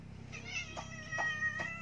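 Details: Pet cat stuck up high after climbing and unable to get down, giving three short harmonic meows in quick succession over a steady low hum.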